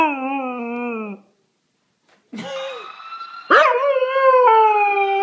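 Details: A howl from Tifa the dog fades out after one second, followed by a short silence, then a sharp yelp and another steady, wavering howl.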